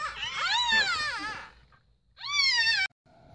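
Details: A chocolate brindle female French Bulldog at the start of labor, nesting and panting heavily indoors in chilly air conditioning after a temperature drop, gives long, wavering, high-pitched whining cries; June 30, 2018.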